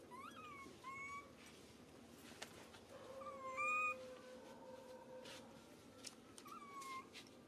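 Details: Baby monkey crying out loudly when grabbed by another monkey, hurt: thin high whistled squeals, some rising and falling, repeated in short bursts over a noisy background with a longer steady tone midway.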